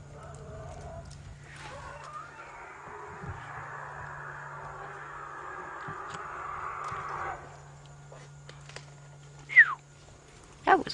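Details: An angry African elephant in a herd gives a long, harsh, brassy trumpeting scream over a low vehicle engine hum at sunset, on 9 August 2016; likely elephants upset with each other, not with lions.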